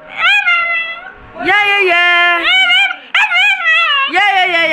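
A Doberman puppy 'sings' in long, wavering, high-pitched howls that rise and fall in pitch.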